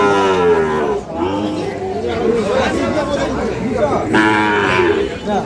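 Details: Sahiwal bull calves being fattened and traded at Ambari cattle market, Parbatipur, Dinajpur, Bangladesh, 5 May 2025. A deep harmonic moo opens, then buyers and sellers talk over it as the market crowd murmurs throughout.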